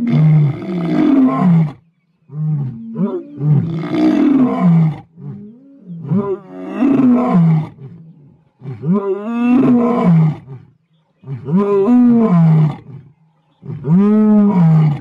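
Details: Wild lion from South Africa in a sequence of about seven rough, harmonic roars and groans, each rising then dropping in pitch, roughly every two seconds with short silences between.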